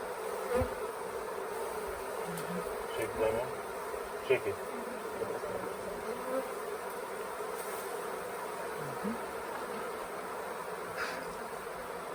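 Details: Late-season swarm of honey bees at the Tamarind Tree Hotel, restless around a nuc box during capture; an unbroken droning buzz throughout, with faint clicks and scattered soft noises over the hum.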